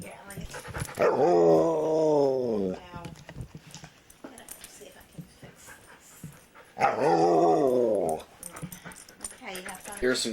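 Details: Chatty foster dog in a house giving two long groaning, howl-like vocalizations a few seconds apart, each wavering and falling in pitch, with quiet room noise and a person speaking between.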